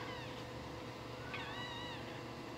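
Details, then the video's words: A newborn Shih Tzu puppy cries: a brief faint squeak, then a louder, high, wavering whine that rises and falls, set against a hissy background and a low steady hum. "Crying puppy newborn shih tzu"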